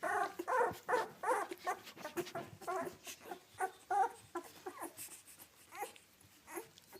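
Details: Two-week-old British Labrador Retriever puppies from a litter of seven, four yellow females and three yellow males, whelped May 30, 2013, indoors near their mother; short harmonic whimpers and squeaky yelps repeat rapidly, fading toward the end.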